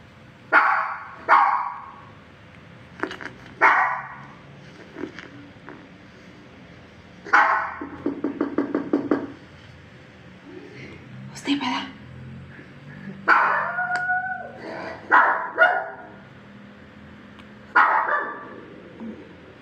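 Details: Pet Shih Tzu barking in response to various sounds: single and doubled sharp barks, a quick rattling run of yaps near the middle, and a thin tonal sound in the background later on.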